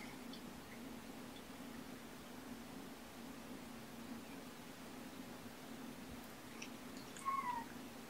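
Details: Domestic cat among kittens with their mother Olympia, indoors on a morning visit, 2018-02-18; a steady low hum runs throughout, then one short, high, slightly falling meow sounds near the end in a quiet small room.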